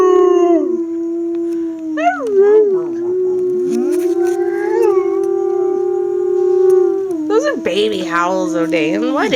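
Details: A Siberian husky puppy gives a sustained, even-pitched howl. Short wavering yips break in at the start and end, and a person's voice is mixed in underneath.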